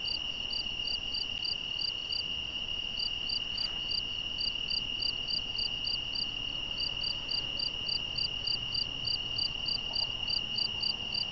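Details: Cricket chirping at night in the Algarve, Portugal, behind a badger recording: rapid bursts of high chirps with short gaps between runs, a continuous thin insect whine underneath throughout.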